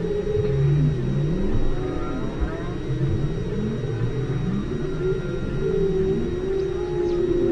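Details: Whales heard underwater at station ALOHA, 5 km deep: sustained low tonal moans hold steady, and some bend up or down. Several voices overlap throughout against a dense low rumble.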